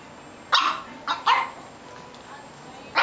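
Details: Young foster puppy just finding his bark: four short, sharp yaps with bright harmonic tone, three close together in the first second and a half, then a pause and a final yap near the end, over a quiet indoor background.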